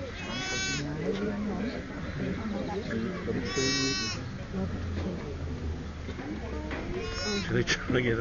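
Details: Sheep bleating near a ewe's new-born twin lambs as one lamb tries to stand. Three quavering, harmonic-rich bleats come roughly every three seconds, with voices murmuring in the background.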